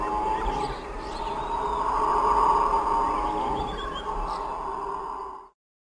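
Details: Howler monkeys give a sustained, droning roar that grows louder toward the middle, then holds before cutting off abruptly, with a few faint bird calls overhead.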